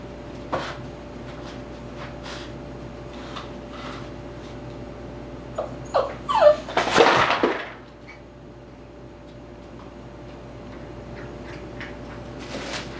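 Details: Eight-week-old Tibetan Terrier puppy named Dhali playing indoors in his x-pen, giving a cluster of short, thin whimpers and yips around the middle, among clatter and rustling from toys and a cut garbage-bag sheet.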